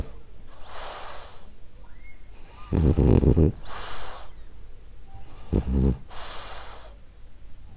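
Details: Ariva, a female French Bulldog, asleep and snoring: soft airy breaths broken by two loud, gravelly low snorts, one longer and one brief, in a quiet indoor setting.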